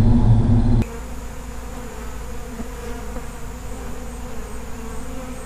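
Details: A loud, rough burst opens before a sudden cut to the softer, even hum of a feral honey bee colony, a low continuous buzz.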